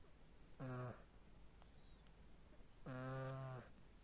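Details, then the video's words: Small domestic cat snoring while asleep, said to snore like a grown man: two deep, buzzy, rasping breaths with a low rattling hum, each under a second long, about two seconds apart, in a quiet room. "Кошка Тина храпит во сне как мужик"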